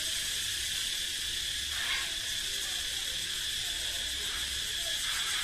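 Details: Cicadas, males singing to show their strength, resounding through woodland. A steady, piercing, high sizzling buzz continues without pause, with a slight brighter swell around the second second.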